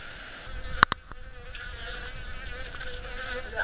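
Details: Western honey bees that crept into a kitchen range hood through the ventilation fan in Koriyama, Japan, on 6 May 2013: a few sharp clicks as bees strike the hood, over a steady, thin, droning hum of wingbeats.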